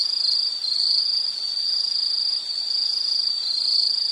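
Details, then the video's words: A continuous, shrill insect trill sitting high in pitch, slightly wavering in loudness over a few seconds, with nothing else standing out. "Nature Sound of nature sounds scenery L · insect"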